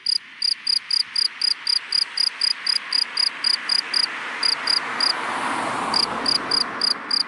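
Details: Cricket in dry grass during the day chirps in quick high bursts, about four per second, briefly pausing while a passing car swells into a broad roar.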